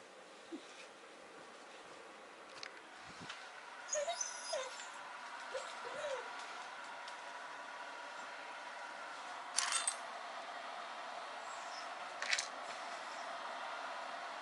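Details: Pet dog Maruo, kept home on a rainy day, gives a few short, soft whining whimpers with upward-curving tones around the middle, described as a sad 'kune kune' call, over a steady broadband hiss with scattered clicks.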